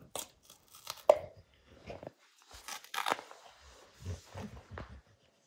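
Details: Dog Max ripping into the hide of a baseball: short crisp tearing and crunching bites, one sharp snap early, then several softer rhythmic chomps about every half second.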